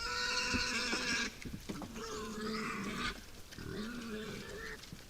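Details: Wild boars at a forest feeding site at night: a series of high, tonal squeals with strong overtones, three bursts over five seconds, each fading into softer harmonic whines.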